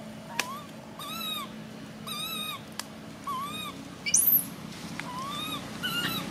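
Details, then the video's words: Repeated whining cries from a baby monkey, each a short arched note rising then falling, spaced roughly a second apart, with one sharp high squeal midway and a low steady hum behind. "Why is this cute baby monkey screaming"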